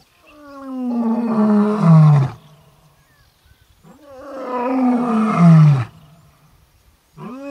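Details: Buddy, an Orpen Male lion, calls out for the Koppies Pride females with two long, deep, moaning roars, each swelling for about two seconds and falling in pitch, separated by a short pause, with a third beginning at the end.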